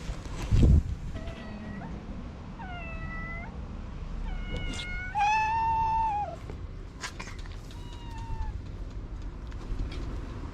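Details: Cute orange stray cat waking from his nap with much yawning: a run of about six drawn-out meows, one loud arched call in the middle, others softer and falling, over low urban background noise and a thump.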